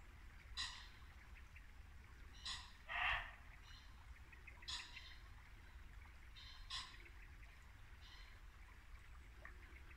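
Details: Muntjac deer barking at dusk in Norfolk woodland in late winter: one loud, hoarse bark stands out among fainter, short broadband bursts spread over ten seconds, while a babbling brook murmurs steadily underneath.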